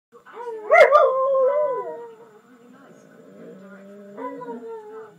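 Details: A jug and a husky, two pet dogs, howling together: wavering, tonal howls with rich overtones. A loud upward swoop comes near the start, then a long sliding tone and a quieter, lower overlapping voice, before the howling swells again toward the end.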